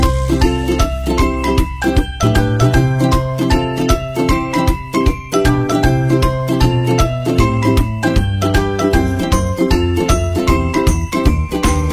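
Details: Bright jingly music with bell-like tinkles over a steady bass beat plays throughout, with no animal sounds.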